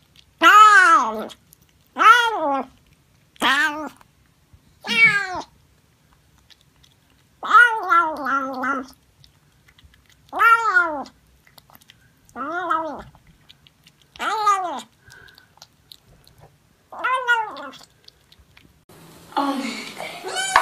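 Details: Domestic cats and kittens meowing while eating, sounding like they say "yum yum yum". About ten clear, harmonic meows, each roughly half a second and bending up then down, come at uneven intervals of about two seconds in a quiet indoor room.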